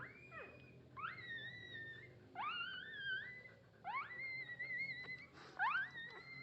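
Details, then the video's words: Puppy asking its mother for milk, giving thin, high whistled squeals that rise sharply then level off, about five cries spaced a second or so apart, with a person speaking softly. "the sound of a puppy asking its mother for milk"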